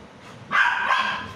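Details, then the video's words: Labrador Retrievers Meera and Sasha play-fighting; one loud, sharp, bright bark lasting about half a second, starting suddenly after a quiet lead-in. "Labrador's funny fighting"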